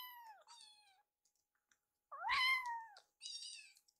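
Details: Rescued baby kittens, Piyo and Yuki, meowing at feeding time as Yuki eyes and nibbles Piyo's leftover food; two falling meows, a louder rising-then-falling meow, then a short high-pitched meow.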